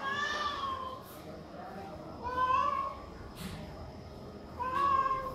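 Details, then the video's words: Hungry homeless cats calling loudly for food at morning feeding time; three clear harmonic meows spaced about two seconds apart, each rising then falling, with soft clicks and knocks between them. "Hungry & Homeless cats calling loudly for Food"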